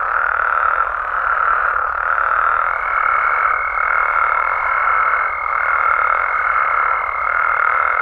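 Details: Amphibians of Mexico calling at night in a constant, dense chorus with soft rhythmic swells; a high steady tone joins partway through and continues to the end.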